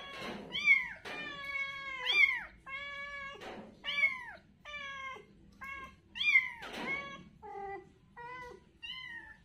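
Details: Kittens at play on the ground call with clear, high, drawn-out mews that dip at the end, about one every second, loud and close with little else heard.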